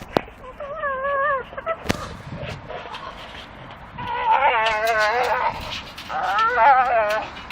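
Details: Staffordshire Bull Terriers, two of them, chewing a dustbin lid swinging from a tree, give wavering, high-pitched whines in short bursts, with a sharp knock and a loud quivering squeal near the end.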